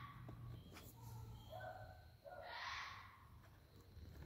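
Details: Neighborhood red fox family roaming at night: a string of short tonal, rising and falling yelps, followed by a louder harsh scream. A constant low hum runs underneath.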